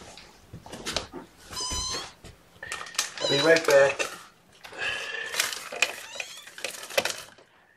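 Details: Young guardian kittens indoors in a small room around a morning feeding, mewing in short high harmonic cries, several overlapping and repeated rapidly, with a person speaking and rustling handling noises between calls.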